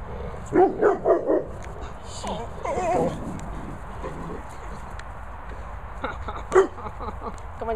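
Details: Two dogs, a Labrador and a Staffie cross, barking at sheep: a quick run of four sharp barks at the start, then higher yelping and whining barks, a single loud bark near the end, with a person's voice at times.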